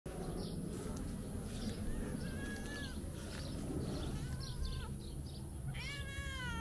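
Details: A talkative tabby cat waking up for breakfast gives several rising-falling meows in a row, with a steady low rumble of background noise underneath.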